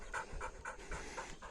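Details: Labrador Retriever at home during basic training, panting in quick rhythmic breathy bursts, about six short puffs in under two seconds, steady and even-paced.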